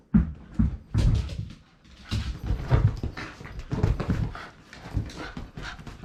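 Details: Playing with a ball indoors, Shiba Inu Rin gives a run of short low grunting growls in uneven bursts, mixed with thumps and scuffing from the ball game.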